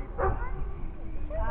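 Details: Giant Schnauzer letting out a single short, deep bark near the start, then a low hum of background noise for the rest of the moment.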